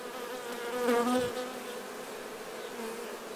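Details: A single honey bee passes close by with a loud, rising-and-falling droning buzz for about half a second. The colony's steady background hum continues beneath it as the bees clean nectar from themselves while honey is harvested.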